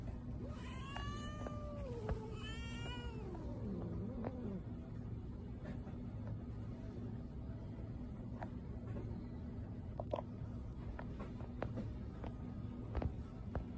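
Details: Patti, a cat at a pet store, gives two long meows, each rising slightly then sliding down in pitch and stretching into a lower drawn-out wail. After that the cat is quiet, with steady low rumble and scattered clicks in the background.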